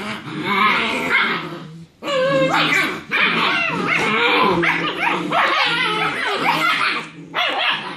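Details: German Shepherd puppies, six weeks old and from a litter of seven, tussle in play fighting after their evening meal. Loud, strained yelps and squealing barks pile up continuously, breaking off briefly twice before resuming.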